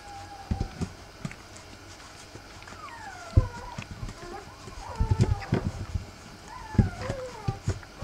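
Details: Rough Collie puppies, three weeks old, with their mother Wallis: repeated high whimpers slide downward in pitch, several overlapping in clusters, broken by dull knocks and handling noise.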